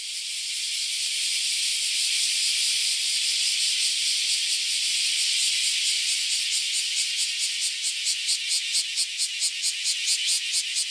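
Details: Loud chorus of cicadas invading a Japanese farm house: a dense, hissing buzz that swells steadily, then breaks into rapid rhythmic pulses of roughly two per second toward the end.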